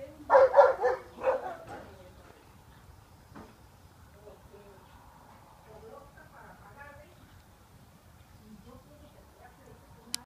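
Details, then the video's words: Dogs barking at cows early in the morning; a quick burst of four or five sharp, loud barks in succession, then quiet with faint voices in the background. "Dogs barking at cows"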